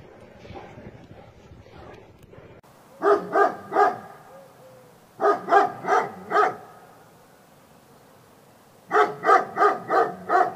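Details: A Labrador Retriever barks in three quick bursts, each of three to four sharp, evenly spaced woofs, with pauses of a second or two between bursts and faint rustling beforehand.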